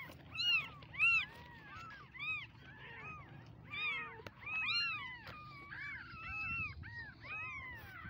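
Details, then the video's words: Several baby kittens meow in quick succession, high arched harmonic cries overlapping one another, some louder bursts near the start and middle, with a faint low background rumble. "Mini cute kittens baby meowing"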